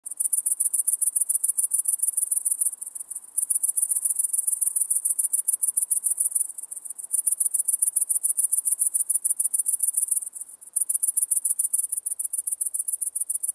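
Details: Great green bush-cricket singing in Maising, Germany, on 11 September 2020: a dry, high-pitched buzzing made of rapid pulses, about 214 a minute, in long trains broken by short pauses near 3, 6.5 and 10 seconds.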